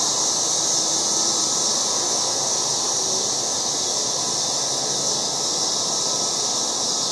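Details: A yard full of loud August cicadas producing one continuous high-pitched electric buzz, level and unbroken, nothing else clearly heard.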